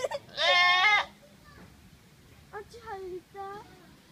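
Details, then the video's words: Goat giving a sudden, startlingly loud, scream-like cry: one strained, richly harmonic bleat of about half a second, then after a pause three softer, shorter wavering bleats. "ヤギの鳴き声ってこんなだっけ？ 変な叫びの爆笑動画 Goat crying is funny"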